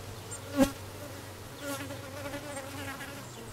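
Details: Honey bees with a new dark queen that has just arrived, recorded 6/5/13: a close, loud buzzing pass near the start, then a rich humming drone that swells and fades, with faint bird notes above.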